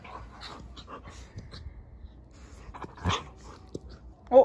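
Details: Siberian Husky puppy indoors, one of two young huskies named Juno and Echo playing together, giving soft whimpers and panting, then a sharp short yip at the end, with a woman talking nearby.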